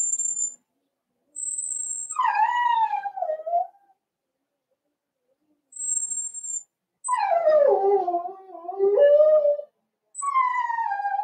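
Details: Litter of four-week-old Cavalier King Charles Spaniel puppies indoors in their pen. Long, harmonic, howl-like whines slide downward and waver, in three drawn-out bouts separated by silence, with faint high thin tones between them.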